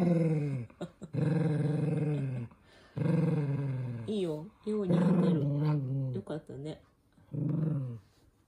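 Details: Indoor toy poodle Minato, furious about wearing socks, lets out sustained deep growls of one to two seconds each, repeated several times with brief pauses and wavering snarls between, while people talk nearby.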